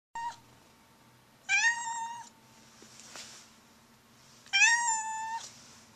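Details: A Blue Point Siamese cat gives loud, drawn-out meows with a rich, nasal tone, spaced a few seconds apart.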